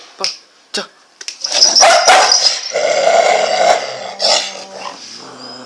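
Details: Cocker spaniel in a fight with a street dog: harsh, rough barks and snarling growls run together in a dense burst for several seconds, after a few sharp yelps at the start; people shout nearby.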